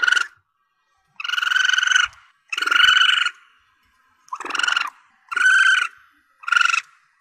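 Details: Juvenile Asian palm civet, sound offered as a hunting lure: six loud, buzzy squeals, several nearly a second long, repeated roughly every second in an uneven rhythm.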